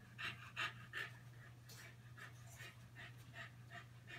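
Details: Keeshond puppies, five weeks old, named Gotham and Gem, romp with their mother Promise indoors; rapid, fairly even huffing pants, close to three per second, against a constant low hum.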